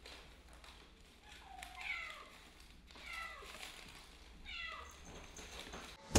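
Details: Kittens playing with straws, giving three thin, falling mews spaced a second or two apart, with soft rustling and a sharp knock at the very end.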